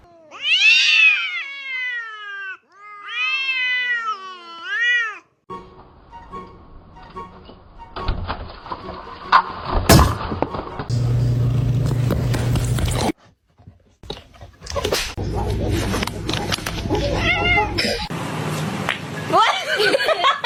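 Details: Cat giving two bursts of repeated, wavering, high meows in the opening seconds, followed by a long stretch of music, clattering and mixed household noise.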